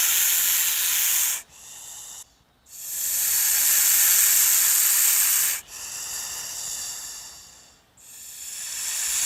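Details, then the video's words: Snake hissing while attacking: long, harsh, airy hisses broken by short silent breaks, several drawn-out bursts of breathy noise with no other sounds. "The sound of a snake attacking | The hissing sound of a snake"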